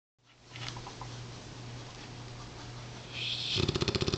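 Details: Champ, a mighty Mastiff rescue dog taken in during November 2007, sleeping. A low, steady rumbling snore is heard, then rapid rattling pulses at the end.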